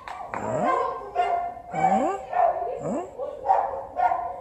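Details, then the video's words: Cats in heat, with a male cat waiting his turn: loud, drawn-out yowling calls that sweep upward in pitch, repeated about every half-second to second in an uneven series. "cats on heat"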